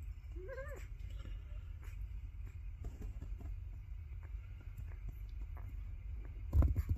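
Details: Black Labrador puppies from Hunny's winter 2023 "Lords & Ladies" litter in Colorado, USA, in their second week, eyes opening and learning to crawl, sleeping; one brief rising-and-falling squeaky whine, then low rumbling room noise and soft bumps.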